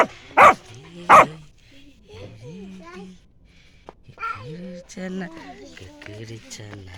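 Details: A village puppy barks twice in quick succession, two sharp loud yaps under a second apart, followed by human speech and light background music.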